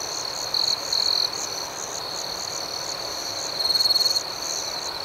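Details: Crickets chirping at night, heard as an unbroken high-pitched drone; two short louder trills stand out early, then a rapid pulsing burst of chirps swells near the end.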